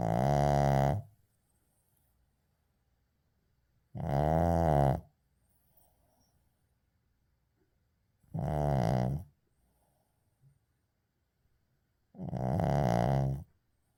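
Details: Uijung, a Shih Tzu, snores in deep sleep: four rough, buzzing harmonic snores of about a second each, spaced roughly every four seconds, with quiet breathing pauses between them.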